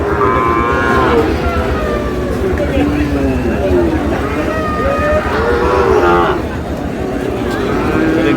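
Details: Sahiwal bull calves at a cattle market in Noakhali, Bangladesh, 27/7/26: several drawn-out, wavering moos overlap through the clip, some rising and falling, amid constant crowd chatter and low rumbling market noise.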